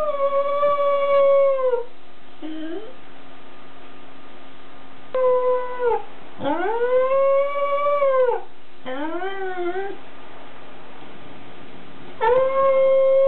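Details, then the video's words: Welsh Corgi howling, recorded 5 October 2006: long, steady, tonal howls with rich overtones, each held about one to two seconds then sliding down or bending upward, with short wavering notes between and quiet gaps. "Welsh corgi 20061005 Howling"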